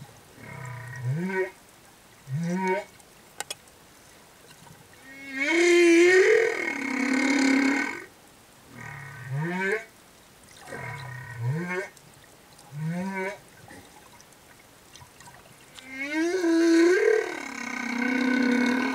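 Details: Male humpback whale singing as escort to a female with calf near Tonga reefs: short low rising whoops repeated in pairs, alternating with long, loud, wavering moans that bend upward, in a regular cycling pattern.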